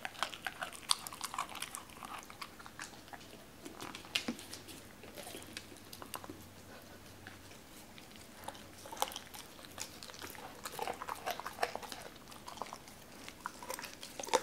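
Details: Cola, a Doberman, chews raw chicken with bones in a small indoor room, eating more timidly than usual while being filmed; dense bursts of crisp crunching and snapping bone, irregular wet biting, brief pauses between mouthfuls.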